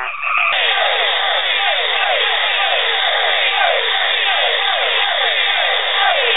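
A dense frog chorus of rapid, repeated downward-sweeping croaks over a constant chattering din.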